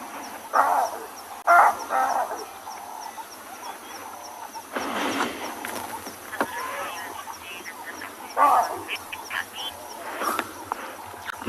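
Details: Wild chacma baboons at sunset on a WildEarth safari drive, 20 January 2022, alarm-calling in distress at predators such as lion, leopard, wild dog, cheetah and hyena. Several distant, hoarse barks come in scattered bursts against soft breeze and a faint steady hum.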